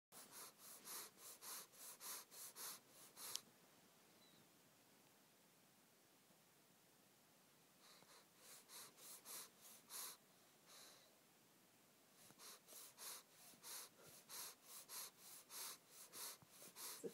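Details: A Boston terrier who breathes loudly huffs through his nostrils in quick, breathy bursts, pausing between runs of rapid puffs.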